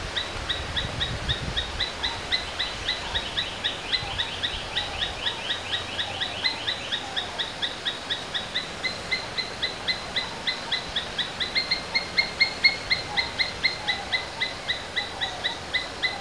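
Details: Domestic Asian palm squirrel uttering rapid, high chipping notes in long runs that waver slightly in pitch and grow louder toward the end, with background hiss throughout.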